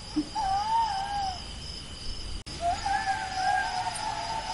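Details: Jackal giving two long, wavering, quavering wails, each sliding up and down in pitch and holding for about a second, separated by a brief cut, over a steady high insect drone in the background.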